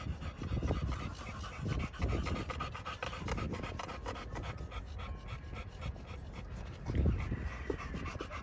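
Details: Pocket American Bully male, Romanian kennel dog, panting for several seconds in a fast regular train of breathy puffs, with a couple of heavier thuds and shuffling sounds.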